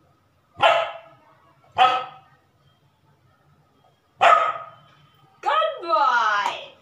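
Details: A Labrador puppy performing tricks on command gives three sharp, high-pitched barks, then a longer drawn-out vocal sound.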